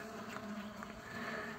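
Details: Honey bees at a hive frame with their queen while a new colony is formed, giving a steady, dense droning hum with a low fundamental and several stacked overtones, continuous and even throughout.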